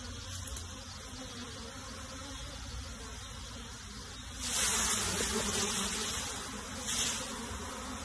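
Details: Many honey bees being moved into a box give a steady, low droning hum, with brief rustling bursts of handling noise.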